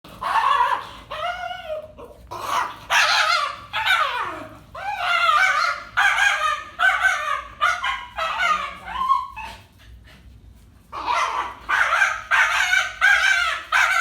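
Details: Five-year-old domestic dog, fearful and reactive all its life, barking on the leash at another dog out of fear: rapid bursts of harsh, high barks, some yelping, in clusters with a brief pause near the middle, then resuming.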